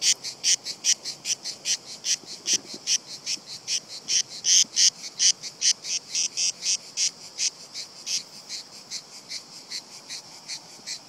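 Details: A group of cicadas chorusing from a tree trunk, unbothered by someone close by as they creep down the bark; loud, buzzy pulses follow one another evenly, about two per second, fading slightly toward the end.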